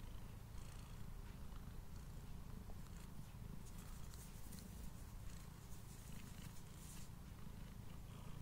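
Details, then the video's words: Purring male house cat at mealtime, close-miked with a Blue Yeti: a dense, unbroken low vibration fills the clip while crisp bites and licks crackle on top, a few sharper crunches standing out. "Cat Purring and Eating Sounds"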